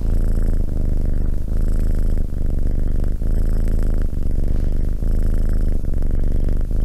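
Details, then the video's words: Continuous deep cat purr, a rumbling buzz that briefly drops at each breath, close to the microphone. "Cat purring"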